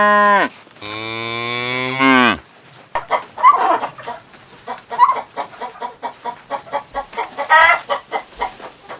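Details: A cow gives a short, falling low moo, then a long, deep, drawn-out moo, followed by a run of quick, choppy clucking from chickens on a farm.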